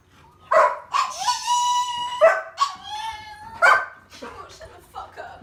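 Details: A 13-year-old male Chihuahua makes weird noises when excited by attention or when ignored: drawn-out, whining, tonal sounds with a long level wail near the middle, broken by short yips, over a woman's exclamations.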